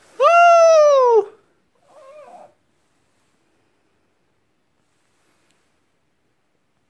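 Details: A pet dog howls like a wolf: one bright, sustained note of about a second that bends downward at the end, then a faint short murmur, followed by silence.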